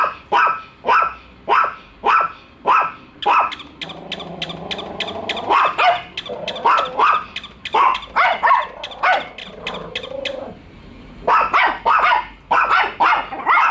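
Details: Pet dogs Bico and Faith react to a toy dog they are meeting for the first time, barking all along; dense series of loud sharp barks with a brief quieter, tonal pause midway.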